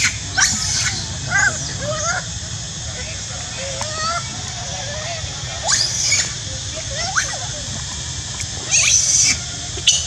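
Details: Monkey shouting loudly with repeated short, high squeals and shrill rising cries scattered every second or two, some bursts louder and harsher, over continuous low-pitched background noise.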